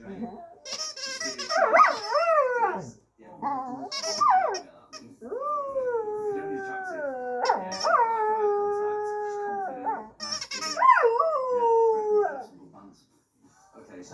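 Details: A singing dog howls in long, wavering tones: rising swoops that level off and slide slowly downward, in about four drawn-out phrases separated by short pauses, with brief higher yelps at the start of several phrases.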